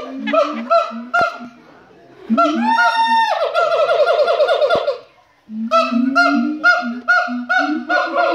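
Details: Siamang singing in captivity at the Los Angeles Zoo: loud booming hoots repeated about two per second, rising into a long quavering, accelerating bark-like scream series, then a pause and renewed rhythmic whoops layered over one another.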